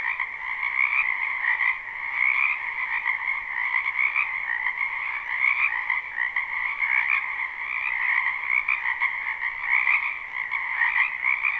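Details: Many frogs croaking in a spring wetland behind a house, recorded live without looping: a dense, unbroken chorus of overlapping trills stacked in two steady bands, pulsing gently with no pauses and no other sounds.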